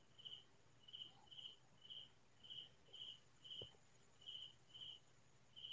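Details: Crickets calling at night in rural farmland, the countryside silent around them. Bright, short chirps repeat roughly every half second, about ten in all, with one brief dull knock midway.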